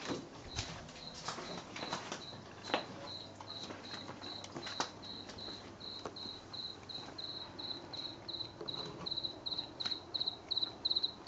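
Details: A house cricket sings in a garden around the back of a shed on a late-September 2022 night, stopping whenever approached: bright, high chirps in a quick, even series, some early clicks and knocks, faint low hum beneath.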